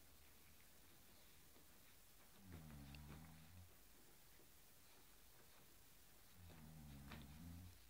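A Cairn Terrier gives two low, rumbling growls, each lasting about a second.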